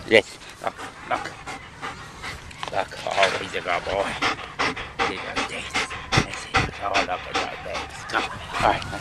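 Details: Solid black male German Shepherd Dog, one week short of two years old, during obedience training: quick rhythmic panting breaths throughout, with a man's voice giving praise and commands.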